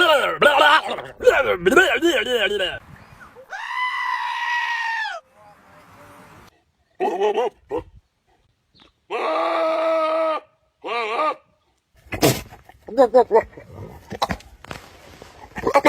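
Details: A goat gives two long, even, strained bleats separated by several seconds, amid lively human chatter, laughter and scattered clicks and knocks.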